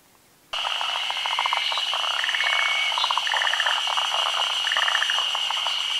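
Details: Forest green tree frogs, a species endemic to Japan, calling at midday spawning in the rainy season on branches over still water. After a half-second of quiet come rapid pulsed croaking bursts, overlapping from several frogs, over a steady high insect-like whine.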